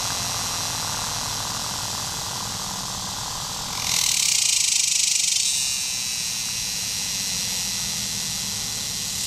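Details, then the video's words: Superb dog-day cicada (Tibicen superbus) calling from an ornamental tree at a picnic area in eastern Oklahoma on July 18, 2010, around 8:20 PM, giving a harsh, hissing buzz that swells loudly for a moment over a steady chorus. "thelope.com - T. superbus cicada calls (10-07-18 115edit1.mov)"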